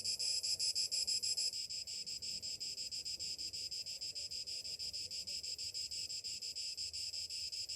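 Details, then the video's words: Summer morning chorus of cicadas: a dense, high, shrill buzz pulsing about three times a second, louder for the first second and a half, then settling into a steady throbbing drone. "Morning summer cicadas sounds"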